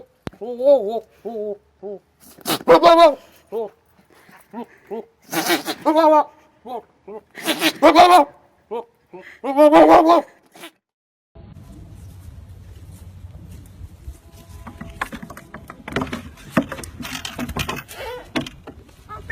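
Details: Goats giving loud, quavering, wavering bleats in bursts for about ten seconds, several overlapping calls, then music and laughter take over the rest of the recording.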